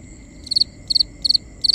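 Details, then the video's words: Night-time cricket chirping in four evenly spaced bursts, each a tight cluster of three shrill pulses, repeating about every third of a second against quiet low ambience. "Cricket Conversations | Binaural Nighttime Ambience"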